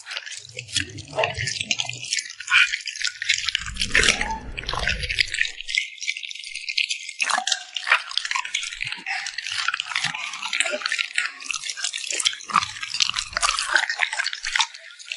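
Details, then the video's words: Puppy smacking its lips while eating, recorded up close: a dense stream of wet, crackling clicks and rattly smacks running steadily throughout, with brief soft low thuds near the start and middle. "the sound of a cute puppy smacking its lips"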